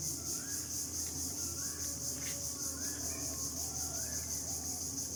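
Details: Crickets calling among trees in the late afternoon around sunset keep up a steady, shrill, high-pitched pulsing trill, with faint bird calls in the background.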